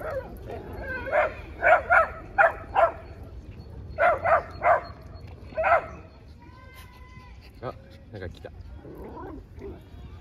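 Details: Shiba Inu at a dog park, turning aggressive toward a husky that had invited it to play: two runs of sharp, loud barks, about eight in all, then quieter scuffling and faint yips with people's voices in the background.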